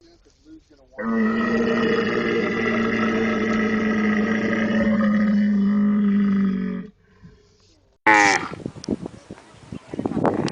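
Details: Camel giving a long, steady groaning moan of about six seconds with rich low harmonics that sag slightly at the end. After a short pause comes a rougher, gurgling burst.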